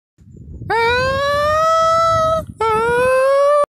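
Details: Goat giving two long, loud, strained screaming bleats, the first held steady for well over a second, then a brief break before a shorter second cry at the same pitch; low rumbling background noise precedes the calls.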